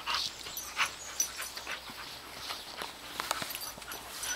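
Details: Andy, a 10-year-old beagle, together with Tery, a 9-week-old ridgeback puppy: soft breathy bursts of noise repeat irregularly, about every half second, like panting or sniffing, with light clicks and rustling throughout.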